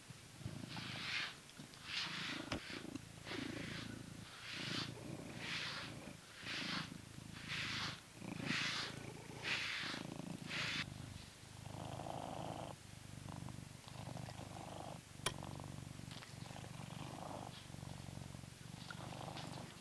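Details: Blue British Shorthair cat, a grown male kept in England, purring while being brushed; a low continuous purr runs under soft, rhythmic brushing strokes that come roughly once a second.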